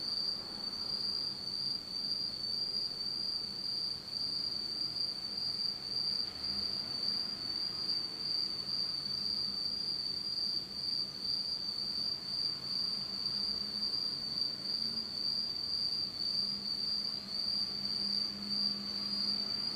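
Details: Japanese autumn insects in pitch darkness at night: a loud, piercing continuous trill dominates, with faster pulsing chirps flickering just above it and very little low-frequency noise.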